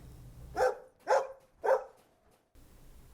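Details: Three quick, punchy dog barks in a row, roughly half a second between them, then quiet with a soft low background hum.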